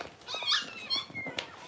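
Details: Six-week-old Cavalier King Charles Spaniel puppies indoors in a puppy pen during deworming and toenail trimming, giving short high whimpering squeals with harmonic bands, several brief cries in under two seconds.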